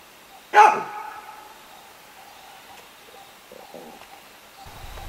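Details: Wild baboon in the African bush giving an alarm call to warn other animals of a predator: a single loud harsh bark, then quiet bush with faint ambient sounds.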